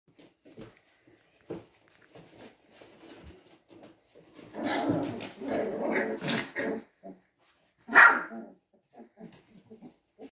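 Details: Three-week-old Teddy retriever puppy, a Labrador and Golden retriever mix, growling and barking for the first time: scattered soft grunts, then a raspy growling burst over two seconds and a sharp high yappy bark, followed by small whimpers.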